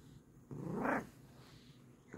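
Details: Bengal cat purring indoors: a low, steady rumble with a brief louder throaty burst near the middle, and a soft human voice nearby.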